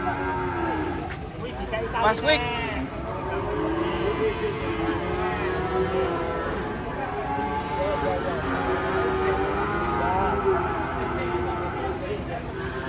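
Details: A herd of cattle unloaded from a truck, one of them angry, lowing in long, overlapping drawn-out moos that carry steadily across the whole stretch, with a few human voices underneath.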